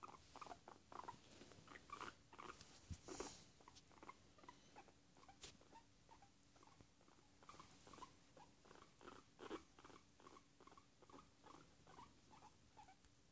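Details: Relaxed domestic guinea pig voicing pleasure sounds indoors on a Sunday: soft rhythmic chuckling squeaks, roughly two per second, with a few louder clicks and rustles and a steady low hum underneath.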